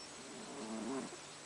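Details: A sleeping domestic cat snoring at home: one short, low, nasal snore with a faint tonal buzz lasting under a second, in a quiet indoor room with steady background hiss.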